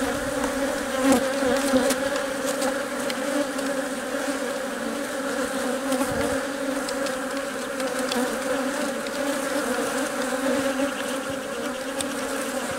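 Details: Honey bees at work in the hive while their queen lays eggs and workers feed and protect her; a long, even droning buzz with clear steady tones and light scattered clicks throughout.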